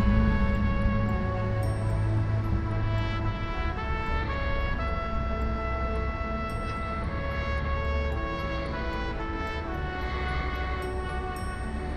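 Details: Instrumental music with sustained melodic tones, shifting chords and a steady low bass throughout, with no animal voice.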